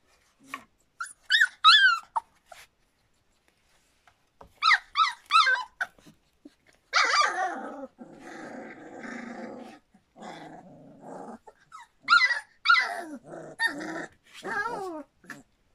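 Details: Standard Poodle puppies slightly over three weeks old from Cantope Standard Poodles, alternating high quavering whines in rapid wavering bursts with low rough grumbling growls in the middle, then more high whines near the end.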